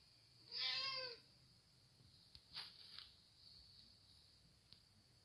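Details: Hungry domestic cat talking: one loud, clear meow with stacked harmonic bands lasting about half a second, followed by faint small sounds over a steady high-pitched hiss.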